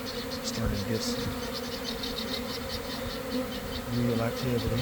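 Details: Honey bees swarming from a garden hive at about one in the afternoon, weather just right after cold, damp days. A continuous humming drone with flickering higher whines of bees zipping past, and brief murmured words.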